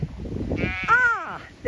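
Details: Zwartbles ewes on a regenerative farm in County Kilkenny, Ireland, left behind at a gate as they find the way to the flock on fresh grass; one clear, wavering bleat falls in pitch over half a second, a second bleat beginning as low rumble fades.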